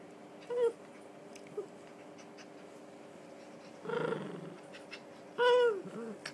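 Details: Donut, a three-year-old female red toy poodle, whines while playing the usual game: three separate high, tonal whines, the last one longer and wavering, with quiet gaps and a few soft clicks between them.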